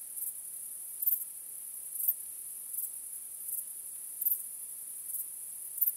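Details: Nighttime cricket chorus, quiet and shrill, a sustained high buzz swelling into short chirp bursts about every second.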